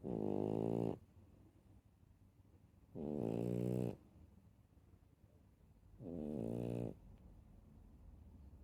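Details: Dog snoring with three steady rasping breaths, each about a second long, repeating roughly every three seconds in a quiet room.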